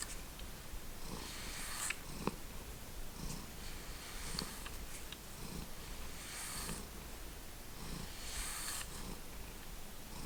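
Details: Domestic cat from the Lucky Ferals indoor cat family (Stella, Splash, Simba, Hydrox and Boo) purring softly at home, a low rumble swelling in slow breaths about every second, with faint hissy rustles above.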